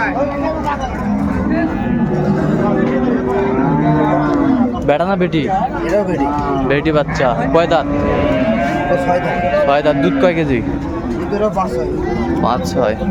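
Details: Cattle at Ambari Haat, Dinajpur, 24 May, cows with calves for sale: repeated bellowing moos, some swooping up and down, mixed with human talk, clatter and general marketplace din.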